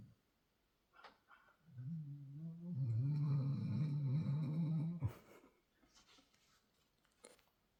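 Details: Deep demonic-sounding snoring from a sleeping six-month-old Belgian Malinois Shepherd puppy, LuLu MaGoo: a sustained low rattling rumble of about three seconds, then faint breathing and small clicks in a quiet indoor room.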